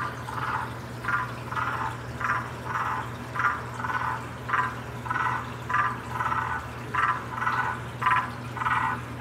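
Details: Waxy monkey tree frog giving its mating call: short, rough, clucking bursts repeated steadily about every half second, some fifteen in a row, over a constant low hum.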